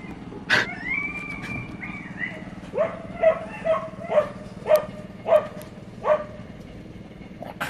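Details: Puppy, whose two eyes differ in colour, giving a high drawn-out whine followed by a string of short yelps roughly every half second, with clicks and a low steady background hum.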